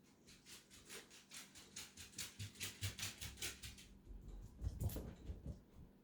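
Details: Male pet dog left behind indoors while others make a quick trip to the mailbox, protesting with unusual theatrical sounds. Rapid breathy huffs pulse about twice a second for four seconds, then a louder thump and softer huffs follow.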